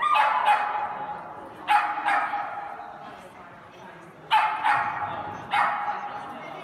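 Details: Kooikerhondje dog from Holland, a hunting breed, barking in pairs of sharp, bright barks, with pauses of one to two seconds between the bursts, and some background noise.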